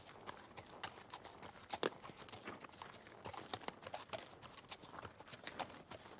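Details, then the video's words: Trotting horse heard as a continuous run of quick hoof knocks, uneven clip-clop beats packed closely over six seconds, some louder strikes standing out against a low hiss. "Horse Trotting"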